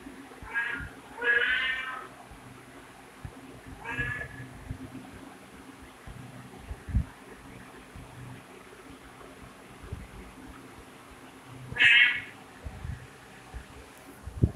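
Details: Cat meowing: a pair of bright, harmonic meows near the start, a shorter one at four seconds and another loud meow near twelve seconds, with long quiet gaps of low room rumble and faint handling knocks between.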